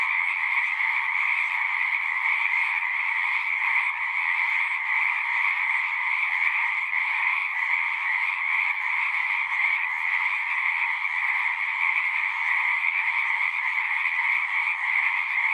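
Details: Frogs chorus at a pond in a horse pasture, recorded on a Zoom 6: a dense, unbroken wall of trilling calls in two steady mid-to-high bands. Calling stays level for the whole stretch, with no pauses and no other clear sounds.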